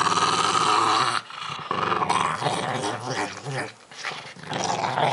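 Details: Eating squash, the pug Milo gives a loud, rasping growl for about a second, a second short growl, then softer, uneven grumbling and chewing noises.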